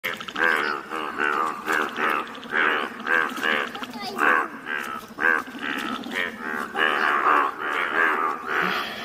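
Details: Rare yellow Indian bullfrogs calling together in the wild near Malkangiri, Odisha, India: a dense chorus of nasal, harmonic croaks in rapid overlapping bursts, several calls per second, with no clear pauses.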